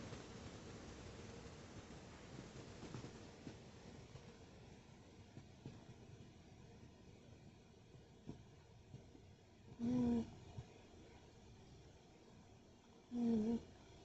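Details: Tabby cat Tootsie snoring as she sleeps: two short, low rasping breaths with a faint humming tone, about three seconds apart, over a quiet indoor hiss.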